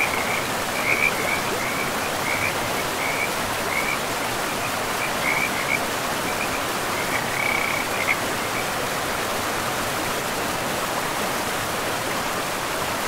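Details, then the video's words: In a moss-covered forest by a river, a frog gives a quick series of short, high, pulsed notes over roughly seven seconds, then falls silent while constant rushing water fills the background. "River and Frogs sleep sounds"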